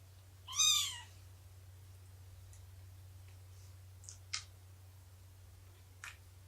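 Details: Cat during a morning snuggle, nursing and play session on 24 September 2017 with Shelby, an abandoned mother cat of about two years, and her three-month-old kittens; one high, arched, harmonic mew, followed by faint soft clicks.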